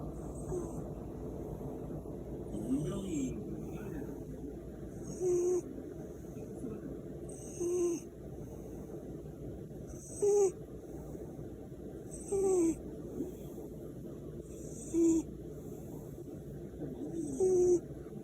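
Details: Korean shorthair cat snoring while sleeping comfortably beside its owner; short breathy snores with a faint whistled tone recur roughly every two and a half seconds over a steady low hum.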